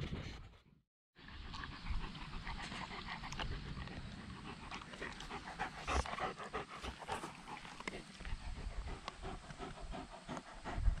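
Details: Dog panting outdoors at a dog run on an October day, as a paddling pool is taken down after the summer: steady rapid breathy huffs over low rumbling handling or wind noise, after a brief silence at the start.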